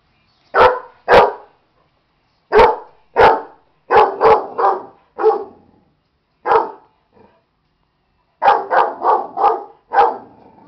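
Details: Pet dog barking in agitation at a stuffed animal: sharp, loud single barks and quick runs of three to five, separated by short pauses, with no other clear sounds.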